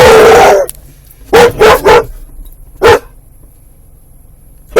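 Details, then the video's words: Pet dog vocalising as the car pulls up the owner's parents' driveway; one long noisy bark, then three quick sharp barks in a row, a pause and a single final bark, with faint car hum between. "My Dog Making Funny Noises"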